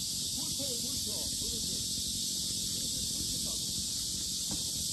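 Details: Cicadas fill the lotus park at Sinjeongho Lake, Asan, with a steady piercing buzz; quiet human speech and a few soft knocks sit underneath the chorus.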